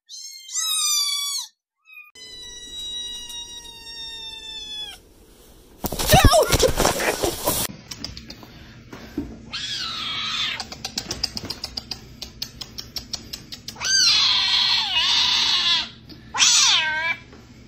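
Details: Kittens saying meow in a compilation: clear high meows open and close the stretch, with a loud burst of noise and clatter in the middle, then several drawn-out kitten cries over background hum.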